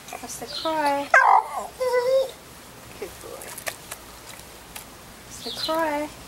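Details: Staffy cross named Buster crying on cue as a trick: a run of tonal, wavering whimpers in the first two seconds, then a short whine near the end, while a person talks encouragingly between them.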